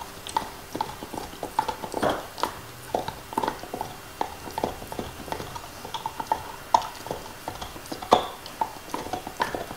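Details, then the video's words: Nixon, a male black Labrador Retriever, gnaws his favourite beef bone in 2019: irregular sharp crunches and clicks, some in quick bursts, with soft wet mouth and licking noises between them. No talking. "Dog Eating Bone ASMR"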